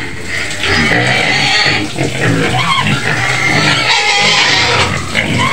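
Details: Shrill continuous screaming from a white pig kept in a pen at the edge of Medan: loud, grating squeals held almost without a break, with slight rises and falls in intensity.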